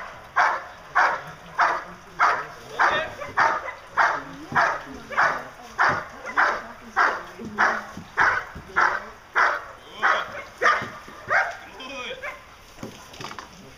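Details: German Shepherd Dog named Diesel, 16 months old, in Schutzhund protection training; loud, regular barks repeated about every 0.7 seconds, steady throughout.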